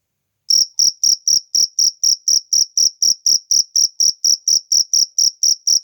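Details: Cricket in nature, chirping with sharp, high-pitched pulsed chirps repeated steadily about twice per second, each chirp a bright trilled burst with a fainter upper overtone; clean recording with no other sounds.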